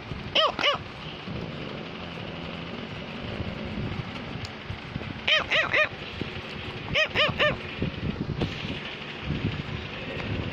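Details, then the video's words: Cavalier King Charles Spaniel named Samus barking to tell its owner something: short harmonic barks in pairs and triplets, near the start, around five seconds and around seven seconds, over steady rumbling background noise. "Cavalier King Charles Spaniel is barking while Samus want to tell Mommy"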